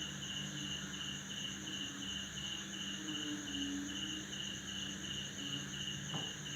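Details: At midnight in a tropical Indonesian backyard after a heavy December downpour, a male cricket chirps in steady, rapid pulses, nearly three per second, over a continuous higher insect hum, with frogs also calling.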